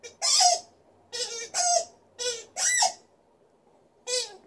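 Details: Liza, a female Alaskan Malamute in a good mood putting on a little vocal show indoors: five short, harmonic woo-like cries, each under half a second, some bending upward then falling, with pauses between them.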